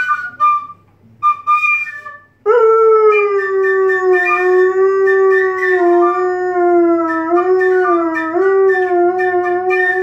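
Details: Pet saluki dog singing indoors: after a few short broken notes, a long sustained tonal howl with rich harmonics, wavering gently in pitch and dipping slightly near the end, held steadily for about eight seconds.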